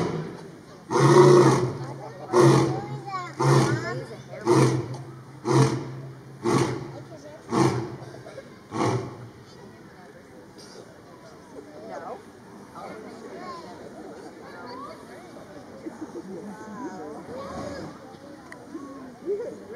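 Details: Captive lion at Brookfield Zoo, Brookfield, Illinois, on October 16, 2022. A roaring bout of about eight deep, grunting pulses, roughly one per second, fading in strength, then visitors' chatter fills the rest.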